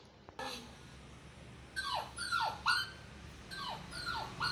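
An Indian Spitz puppy gives a run of high, falling, whiny yelps, several in quick succession.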